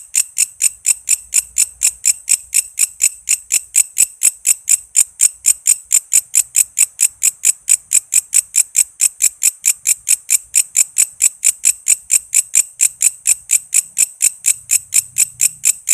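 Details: Walang kece cicada, a master sound for cage songbirds including magpie robins and lovebirds: long unbroken series of bright, rasping chirps pulsing steadily around four times a second, with faint low rumbles in the background.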